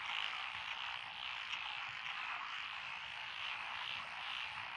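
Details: Paddy-field frogs in Echizen, Fukui, Japan, recorded 12 June 2021 among lotus fields; a thick mix of tree frog, pond frog, wrinkled frog and green tree frog calls forms a constant rattling, croaking drone.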